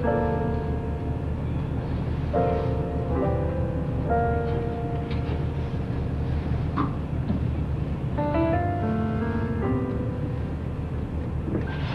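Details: Soft piano melody over a constant low engine-like rumble, with no whale or other animal sounds audible.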